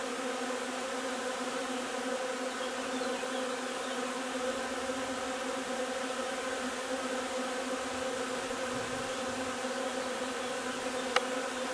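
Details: Honey bee hive busy with linden nectar collection on 3 June; steady layered drone of many bees, with a single sharp click near the end.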